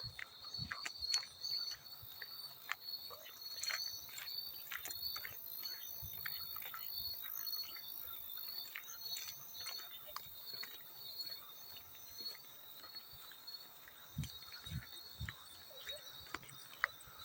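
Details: Persistent shrill chirping of a field cricket, with the trill pulsing slightly in strength for long stretches, joined by occasional light splashes of water, heard in a soothing sleep-sound mix.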